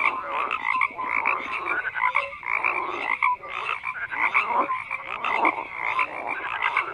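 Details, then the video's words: Frogs calling in a busy chorus, grating croaks rising and falling in bursts with occasional clear short notes, the loudness swelling and dipping every second or so. "FROGS CROAKING"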